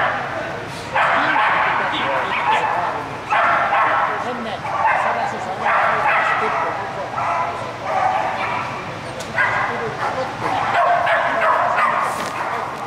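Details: Australian Kelpie barking during a medium-class 3 agility run on course A on 24 April 2011, a run that was disqualified. Harsh, loud barks come in bursts roughly every one to two seconds over a public-address voice and hall echo.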